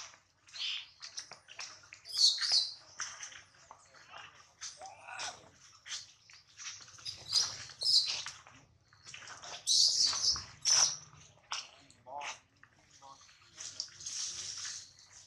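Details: Baby monkey Adler, held by a small monkey, crying because he misses his mother and is hungry: many short, high, shrill squeaks and screechy bursts, some louder and broader, with soft rustling beneath.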